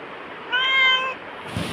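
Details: Black house cat Bagira replies to being asked in Tamil whether it wants prawns, giving a single firm meow of under a second, followed by a brief rustle.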